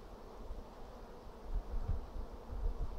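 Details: Honey bees in an apiary on 2 April 2016 during a hive inspection as frames are checked for brood: a dense, steady low hum with soft rumbling handling noise underneath.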